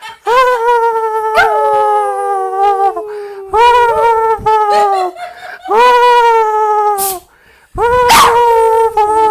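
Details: Jack Russell Terrier dog trying to talk, giving long, sustained tonal howls that waver and dip in pitch, broken by a few sharp clicks and a brief yip-like burst near the end.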